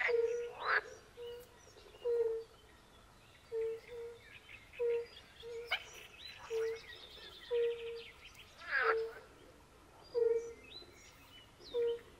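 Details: Soft tonal notes from European fire-bellied toads repeat steadily, about one a second, in a pond chorus at the forest edge, overlaid by loud, harsh, rattling croaks of pool frogs and scattered high chirps.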